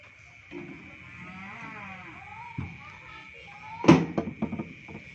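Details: Newly bought Madura cow, low drawn-out moo of about two seconds that dips slightly in pitch, over a steady electrical hum, followed by a sharp knock and clattering near the end.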